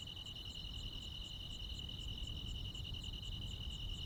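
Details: Countryside crickets calling together with other insects on a summer night, producing a continuous high-pitched ringing trill with rapid faint pulses layered above, steady in loudness, with a low rumble underneath.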